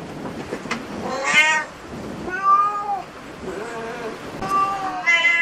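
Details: At a cat cafe, several short, bright meows, some rising and some falling, scattered among clicks and soft indoor background noise.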